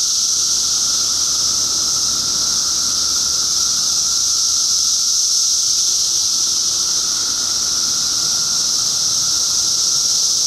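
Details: Intense shrill hiss from a crowd of cicadas in 2013, an endless sizzling drone without breaks, carried over a faint lower whine and slight background rumble.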